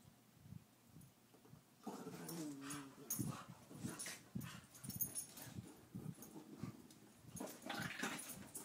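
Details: Louie, an eight-year-old Chihuahua, and Daisy, a two-year-old Pit Bull, playing; near-quiet opening, then a tonal wavering growl-whine near two seconds, followed by rough growls and scuffling bursts to the end.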